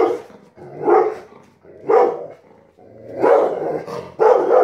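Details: A Rottweiler reacting to a kite in the sky with five heavy, rough barks spread over a few seconds. The last ones are longer and more drawn out.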